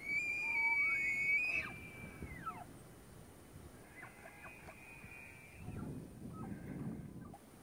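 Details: During the rut at Point Reyes National Seashore, a tule elk gives a strong high whistle that rises and holds, then slides down. More distant, softer bugles with choppy pulses follow, over low outdoor rumble.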